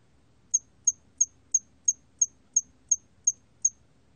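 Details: Steady series of ten crisp, high chirps from a hairy cricket, evenly spaced about a third of a second apart. Recorded in 2020, with only faint low background hum.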